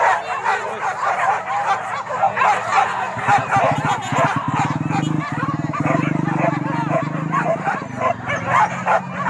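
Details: Wild boar hunt in Kayu Ampek, Tanjung Emas district, Tanah Datar: many dogs barking and yelping at once, with a strong low humming drone rising in the middle and people talking nearby.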